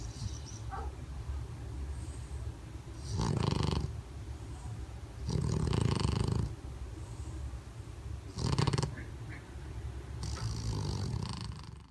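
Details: Bulldog named Túrin snoring while asleep with eyes open, indoors; four long, low rasping snore breaths roughly every two to three seconds, rumbling with broad gritty noise between quieter pauses.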